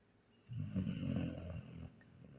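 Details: Sleeping German Shepherd Nika giving one long, low, gravelly snore lasting well over a second, steady and rough, then fading into quiet breathing; a woman's voice follows, asking whether she is snoring.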